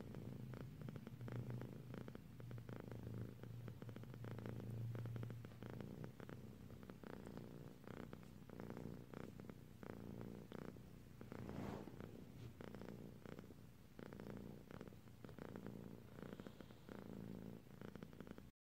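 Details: A female pet cat dozing off, purring in a soft low rumble, clearest early on, amid rustling and handling noises indoors.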